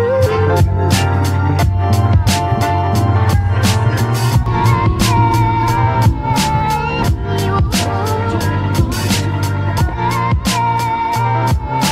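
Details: Loud music with a heavy bass beat and regular percussive hits fills the whole stretch, with no animal voice standing out.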